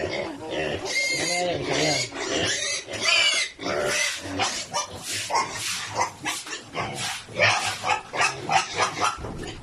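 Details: Large sows crowded into a pen on a Philippine hog farm, too big to fit together, having damaged the flooring; loud overlapping squeals and grunts in dense repeated bursts, with people talking over them.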